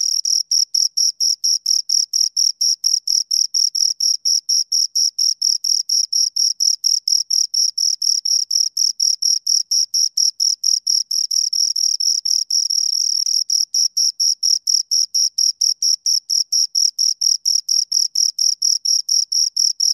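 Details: Two crickets keep up a long run of high, ringing chirps at a quick steady beat, with a short patch around twelve seconds where the pulses blur into a continuous whirr.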